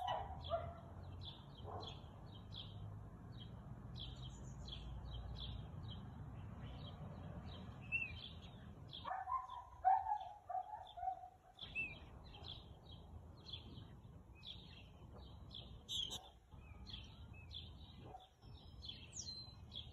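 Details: Husky giving scattered barks on the afternoon of 2 April 2022 at 2:57 pm, a short cluster of harsh, yelping barks near the middle and isolated ones later, with busy bird chirps throughout and low rumbling noise.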